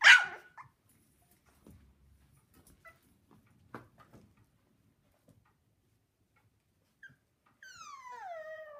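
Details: Havanese puppies at six weeks old: a sharp yip at the start, scattered soft clicks and rustles, then a falling whining whimper near the end.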